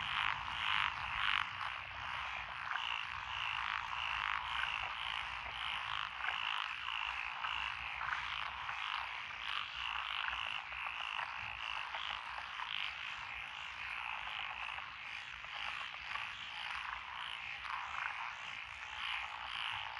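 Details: Many frogs calling together in lotus paddies along a rural road in Echizen, Fukui Prefecture, June 12, 2021, species including Japanese tree frog and Schlegel's green tree frog: steady mass of rapid rattling croaks, nearly two pulses per second.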